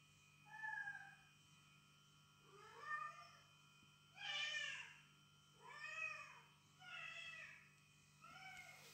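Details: Indoor domestic cat scene with a female guarding her space from intruding felines heard in played cat calls; six wavering meows come roughly every second and a half, some rising then dropping, over a constant electrical hum.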